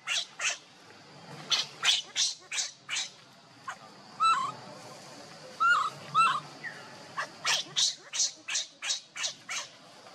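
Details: Hungry baby monkey named Leo crying and begging its mother for milk: runs of short, sharp, harsh squeaks in quick bursts, with a few brief high tonal squeals in the middle, separated by short pauses.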